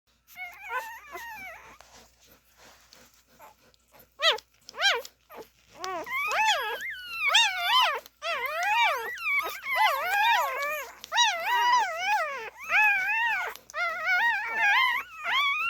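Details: Siberian Husky puppies nursing give high, wavering whines and squeaks that overlap into a continuous chorus.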